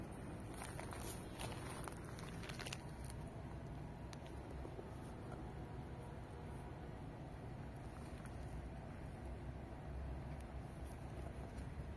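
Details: Low street hum with scattered footsteps and light patter during stray cat feeding, without any meowing or other animal voice.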